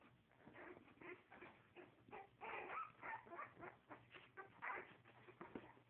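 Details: Several puppies whining and yipping together, a dense, continuous jumble of short nasal squeals and whimpers, some rising at the end, repeated rapidly for the whole stretch.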